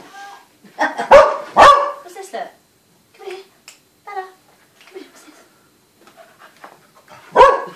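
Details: Dog barking at a snowman gives two sharp barks early, then quiet talking and small sounds, and one more loud bark near the end.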